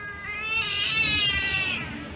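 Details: Sweetie, a female Siamese cat, meows while having her claws cut: one drawn-out, high, wavering cry that swells in the middle and fades at the end.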